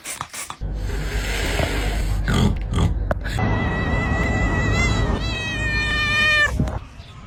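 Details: Domestic cat making a funny, weird sound: after a burst of rough rumbling noise comes a long, high, thin whine that holds steady with slight wavering for about four seconds, then cuts off, over constant low background rumble.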